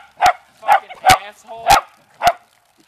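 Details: Beagle and dachshund family dogs playing in water from a hose, one barking in five sharp, evenly spaced barks over about three seconds.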